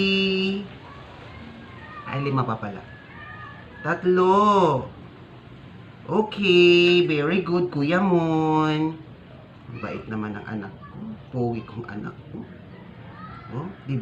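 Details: Sick stray cat being force-fed to survive, giving several drawn-out meows that rise and fall in pitch, one long wail near the middle, with a person's voice talking between the calls indoors.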